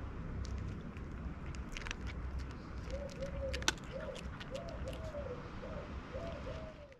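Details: Black cat meowing timidly to tell of its hunger: a run of five short, soft, arched meows over about three seconds, rising and falling in pitch, over a steady low rumble with scattered clicks and crackles.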